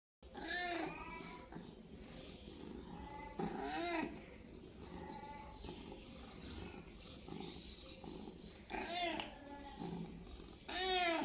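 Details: Domestic cat meowing: several separate harmonic meows with curved, falling contours, spaced a few seconds apart, over a steady low background hum.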